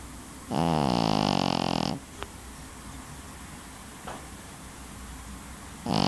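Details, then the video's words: Pekingese dog snoring: a long buzzy, rattling inhaled snore of about one and a half seconds, then near silence with faint clicks, and the next snore starting at the very end. "snoring dog - 2 - pekingese"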